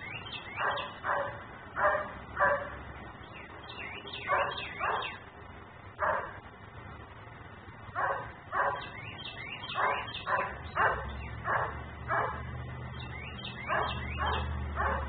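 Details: A dog left outside barks on and on, a neighbourhood nuisance in Mecklenburg caught on a fixed camera: irregular bursts of sharp barks, often two or three in quick succession, with small birds chirping high in the background.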